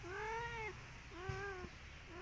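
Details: Si Belang, an orange striped tomcat paying a visit, gives two long tonal meows, the first louder and held, the second shorter and softer, with the start of a third at the end; faint thumps in the background.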